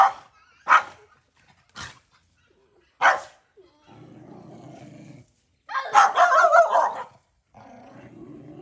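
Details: On a Cambodian farm, a stray mother dog defends her puppy at feeding time with loud, abrupt barks and a dense growling outburst, separated by quiet gaps and low background hum.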